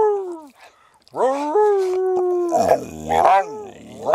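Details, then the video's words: Small dog Sammie the Pooper howling in an RV alongside its owner's howls: a brief falling note, then a rising, sustained howl breaking into wavering, overlapping tones. "Conversations with my Dog Sammie the Pooper (Dog Howls)"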